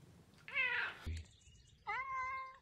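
A Maine Coon cat gives two trilling, chirpy vocalizations, one rising and one held steady.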